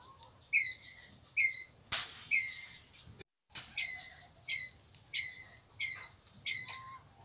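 Pallas's squirrel gives sharp, high, chirping calls repeated roughly every second to gather its group.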